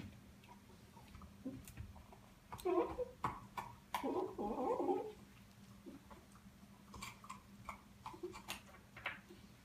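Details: A dog making small whimpering, squeaky noises while chewing indoors in a small room, with short clicky chewing sounds between them and a brief burst of louder whining around the middle.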